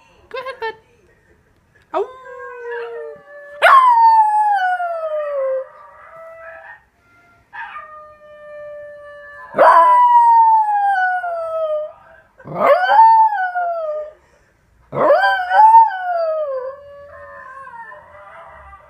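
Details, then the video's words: Miniature Pinscher mix dog answering a Basenji yodel recording with repeated howls: about six tonal wails, several opening with a sudden rising yip and gliding down, spaced roughly two to three seconds apart. "MinPin mix howling in response to best Basenji yodel singing"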